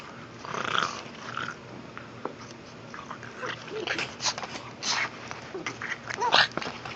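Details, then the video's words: Pug vocalizing during ball play: rough, noisy grumbling growls and snorty grunts in uneven bursts, with scraping and clicking sounds of the toy and movement. "pug making noises"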